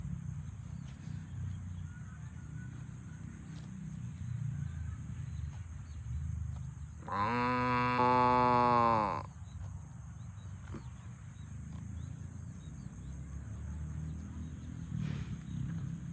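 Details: Cows on a farm, herded toward the barn, with a single loud moo lasting about two seconds, slightly rising then falling in pitch, set against low rumbling background noise and a constant thin high whine.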